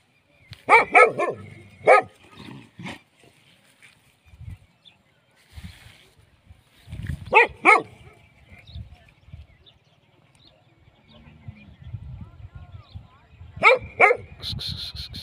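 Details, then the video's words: Dog giving scattered short barks in clusters of two or three, with quieter low thumps and rustling between them. "Dogs Free Sound"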